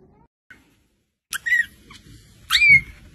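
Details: Kittens meowing: after a faint short squeak, two clear high mews follow about a second apart, each bending up then sliding down, the second longer and stronger, over a low background rumble.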